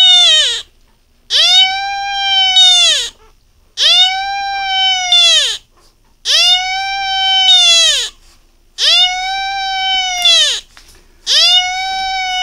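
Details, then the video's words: First-ever cry of a Beagle, a run of six drawn-out, even-pitched wailing notes, each about one and a half seconds, rising at onset and dropping off at the close, repeated regularly with brief pauses in quiet surroundings. "비글 생애 첫 울음소리"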